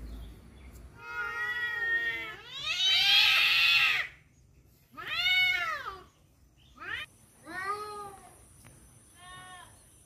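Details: Domestic cats squabbling over a female let out loud, wavering caterwauls in separate bursts, one harsh and screechy, others arching up and down in pitch, with brief pauses between outbursts.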